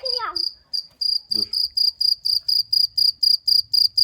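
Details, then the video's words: Cricket chirping loudly in short, high, regular pulses about four per second, with a brief falling human voice at the start and a short low sound near one and a half seconds. "CIRCIR BÖCEĞİ'nin sesi neresinden çıkıyor?"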